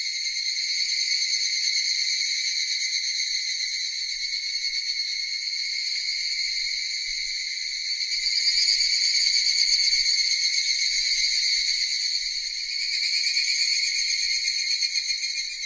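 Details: Cicadas: a steady, continuous high buzz made of stacked bright tones, with a fine rapid pulsing texture that swells slightly louder around the middle and again near the end.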